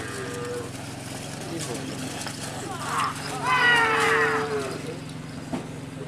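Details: Madura racing bull (karapan sapi) raging during practice at the Asemanis track, Pamekasan, Madura, East Java, Indonesia: a long harmonic moo swells midway and fades, over crowd chatter and steady background hum.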